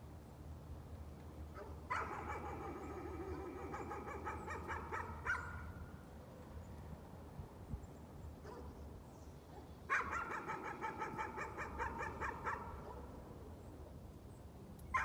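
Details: Nuisance barking by a dog at some distance: two extended strings of rapid, slightly hoarse barks over a low background hum, separated by a quieter stretch of several seconds.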